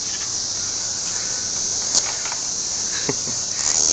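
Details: Cicadas being caught in trees keep up an unbroken shrill buzzing drone, with a few soft knocks and rustles of handling audible over it.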